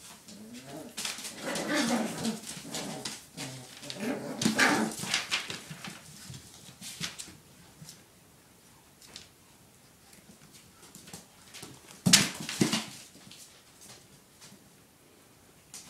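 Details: Five puppies at play: a busy burst of squeaky yelps and whimpers fills the first six seconds, then quieter scuffling and rustling follows, broken by one more short yelp near the end.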